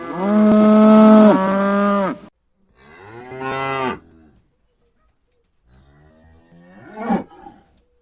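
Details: Cow moo, loud and held, followed by a softer second moo after a short break, then near silence and a faint, brief final call.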